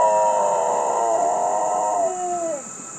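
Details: A female dog howls in answer to a fire siren: a long wavering tone with stacked harmonics that slides downward and fades near the end, over a steady high-pitched whine.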